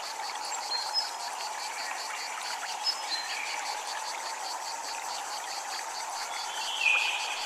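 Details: At a Japanese temple, cicadas give a fast, even pulsing buzz beside steady running water, with a single chime ringing out close to the end.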